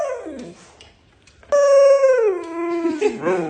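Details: A male Siberian Husky, told he is overweight and must diet or exercise daily, protests with a soft, falling whine, then a loud, sustained howl that slides from high to low and breaks into wavering yowls, in a small room with a person talking nearby.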